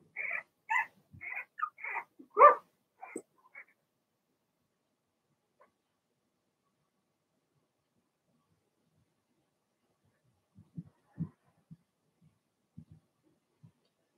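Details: Young Blenheim Cavalier King Charles Spaniel puppies from a litter of six, in an indoor puppy pen at home: a quick burst of high yappy barks and yelps over the first three and a half seconds, then quiet, with faint low sounds near the end.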